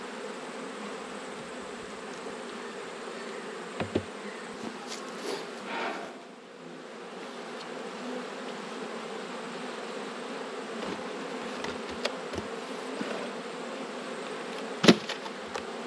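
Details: Honey bees humming during an autumn inspection of twelve beehives, one colony having swarmed and raised a new queen; a dense, steady low drone with occasional sharp clicks and knocks of handling equipment.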